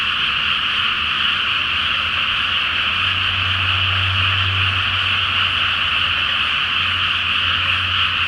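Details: Frogs chorusing at night in a flooded rice field before planting, full moon above; a relentless dense trilling wall of croaks, while a low engine-like hum swells in the middle and again near the end.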